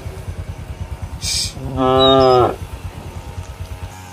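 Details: Village cattle wandering a field, calling companions home to the barn: one loud, steady moo lasting under a second, set against a rhythmic low mechanical pulsing.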